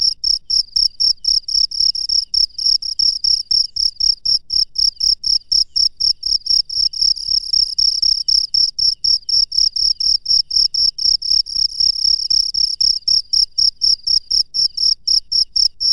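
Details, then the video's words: Cricket calling from the wild after dark: a long, relentless series of shrill, ringing pulses, about four each second, steady in pitch and loudness, with only a faint low hum beneath. "SUARA JANGKRIK LANGSUNG DARI ALAM LIAR DI MALAM HARI"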